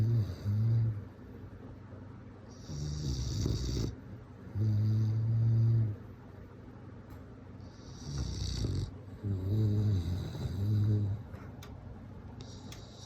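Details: Sleeping bulldog snoring in rough, low rumbling breaths, each long inhale a deep vibrating snore followed by a quieter pause, with a few sharper snorting exhales between.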